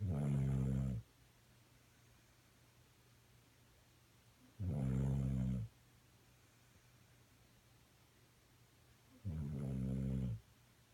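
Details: Dog snoring while asleep, recorded 26 April 2016; three deep rumbling snore bursts about one second long, repeating roughly every four and a half seconds, with quiet background hum between them.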